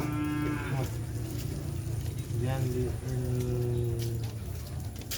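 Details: Madura cattle at a kerapan sapi bull race held at the Asemanis field during an anniversary event; drawn-out, harmonic lowing moos, one short then two longer overlapping calls, over steady crowd and outdoor noise.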